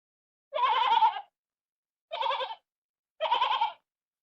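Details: Sheep on a farm giving three short, tremulous, wavering bleats, each about half a second long and spaced roughly a second apart, with no other sounds.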